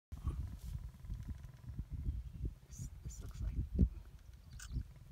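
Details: Lions mating in Kafue National Park, Zambia: deep, rumbling growls pulse low and unbroken for about five seconds, with a louder grunting swell near the fourth second and faint higher sounds above.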